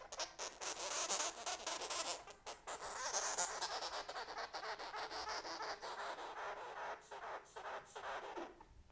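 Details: A male sugar glider (Petaurus breviceps), angry during a vet exam while recovering from calcium deficiency that weakened his back legs, gives harsh, crackling chatter in rapid bursts that come and go.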